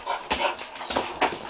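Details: Jack Russell Terrier playing outdoors in the snow, giving three short, sharp, breathy yips or huffs spread across under two seconds, each a brief broadband burst.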